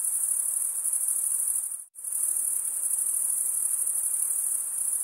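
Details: High, continuous cricket trill from males stridulating with their wings, cut by a brief near-silent gap just before the second mark, after which the same shrill ringing resumes unchanged.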